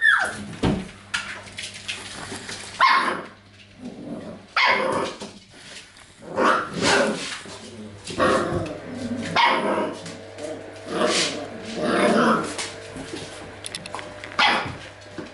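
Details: Golden Retriever puppies of the C litter react while being trained with sounds and visual stimuli in a small room; short barks come in separate bursts every second or two, with human voices mixed in and a steady low hum.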